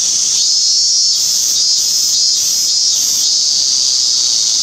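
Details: Cicada chorus on 17 August 2016, named as minmin cicada: continuous piercing buzz with four evenly spaced pulsed notes near the start, steady and loud throughout.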